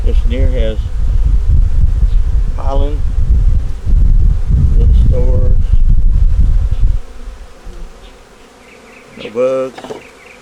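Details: During a winter check of a honey bee nuc with eggs and brood in the top, occasional bees buzz past in brief wavering hums, while heavy low rumbling fills the first seven seconds and then drops to quiet.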